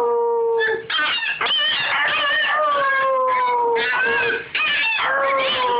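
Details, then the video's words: Puppy learning to howl gives sustained, gently falling howls, layered with higher quavering yips and whines, in two long bursts separated by short pauses. "Teaching a puppy to howl!!"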